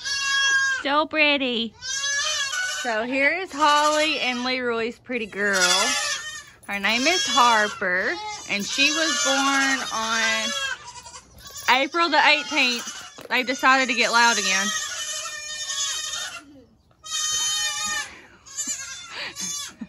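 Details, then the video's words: Loud kids, born in the 2022 kidding season, cry out in long trembling bleats, one after another with little pause, mixed with occasional human speech. "So many LOUD baby goats!"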